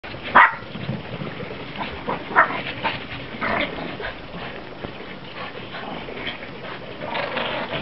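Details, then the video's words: Two Shih Tzu crosses chase each other in the snow. Two brief, sharp yips come early on, one at the very start and another about two seconds later, amid soft scuffling and crunching as they play. "Shih Tzus playing in the snow"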